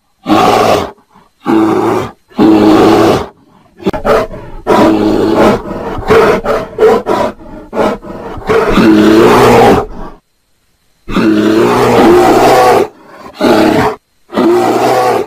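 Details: A bear gives loud, harsh roars during mating, in a series of bursts lasting one to two seconds each.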